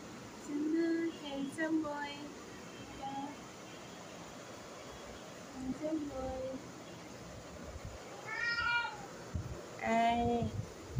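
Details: Domestic cat meowing indoors: a few drawn-out harmonic meows near the start, then two louder wavering meows near the end, with a woman talking softly in Bengali between them.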